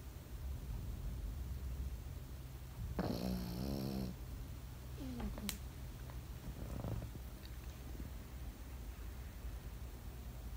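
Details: Sleeping Pekingese gives a single buzzy, rattling snore lasting about a second, followed by soft breathing and a few faint clicks in a quiet room.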